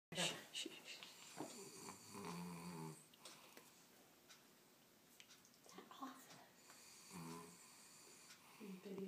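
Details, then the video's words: Bellmont, a sleeping dog, snores very loudly in rough, rasping breaths that come in bursts with pauses between them, while a person talks over the snoring. "Snoring Pooch"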